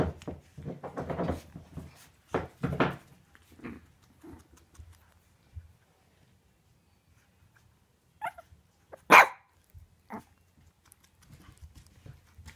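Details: Four 8-week-old Shih Tzu puppies, left from a litter of seven, playing indoors: a run of short yappy barks and squeals early on, then scattered sharp yips with a loud bark near the end, quiet gaps between.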